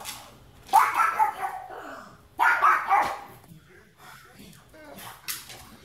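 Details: Watch dog giving two loud, rough barks about one and a half seconds apart, followed by quieter scattered sounds and faint voices in the background.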